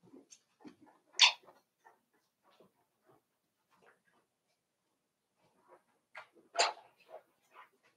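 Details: Cavalier King Charles Spaniel puppies, five weeks old, in their indoor pen, making faint squeaks and murmurs punctuated by two loud high-pitched yelps, one early and one late, in a small quiet room.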